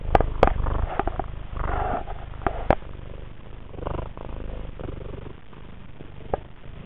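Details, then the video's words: Affectionate female house cat purring while rubbing her nose, mouth and chin on a camera lens, the purr turning into wet snorts; rough rapid pulsing with sharp clicks and breathy bursts. "Affectionate kitty snorts into camera."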